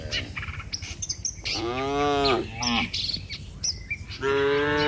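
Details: Dozens of tame cattle heading back together to their barn from the pasture; three moos of varying length rise and fade, mixed with frequent high bird chirps and tweets.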